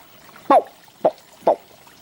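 A green frog gives three short, twangy gulps, like a plucked loose banjo string.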